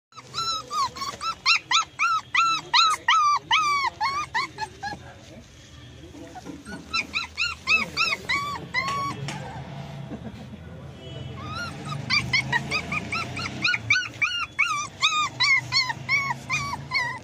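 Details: Poodle puppies in South India whining in rapid runs of high, harmonic yelps that rise and fall, several per second. A quieter stretch midway gives way to a low rumble before the whimpering resumes; faint voices sound underneath.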